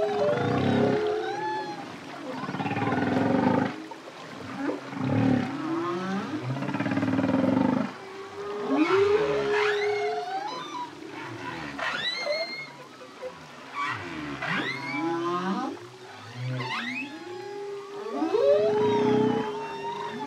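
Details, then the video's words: Humpback whale song from a solo male, with deep bubbling and whooping phrases: low pulsed rumbles alternate with rising and falling whoops and upswept cries, phrases overlapping and echoing throughout. "Humpback Whale. Song From Solo Male, Deep, Bubbling And Whooping Phrases"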